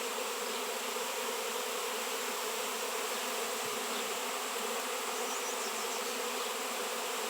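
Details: Many honey bees swarming over a 7 lb raw shungite piece, producing a constant, broad buzzing roar with a slight low murmur midway and no pauses.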